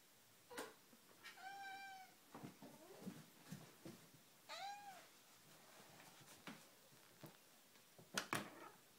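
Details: Domestic cat giving two clear drawn-out meows, each rising then falling, among soft clicks, taps and rustling indoors; sharper knocks near the end.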